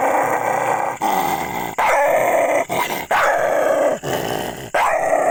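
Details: Aggressive dog growling and snarling in long, rough, continuous rumbles, broken by short pauses roughly every second, loud and close over a constant background hum.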